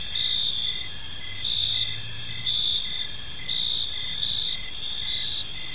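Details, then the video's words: Crickets in a park during the evening, a sustained high trill with regular pulsed chirps about once a second, chorus of overlapping insects, a brief low hum in the background. "Park Serenade: Cricket Sounds in a Peaceful Park | Evening Ambience"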